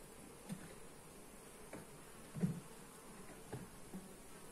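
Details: Low buzzing of honey bees at a hive being inspected, recorded on a Xiaomi Redmi Note 8 phone; a deep steady hum interrupted by several brief knocks, the loudest at mid-clip.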